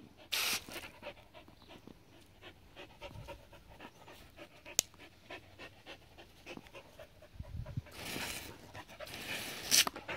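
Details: Seven-year-old Border Collie Adaike Polední kámen pants rapidly, about two and a half breaths a second, during water play, with sharp splashes at the start and in the last few seconds.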